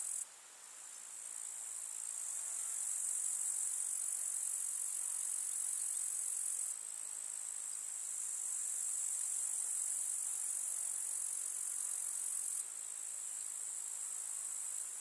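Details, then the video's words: Grasshoppers chirping in a summer meadow among wildflowers in the countryside: an unbroken, dense, very high-pitched shimmering buzz, steady throughout, with sudden shifts in loudness near the seventh and thirteenth seconds; no other sounds stand out. "КУЗНЕЧИКИ. Слушать звуки летнего луга"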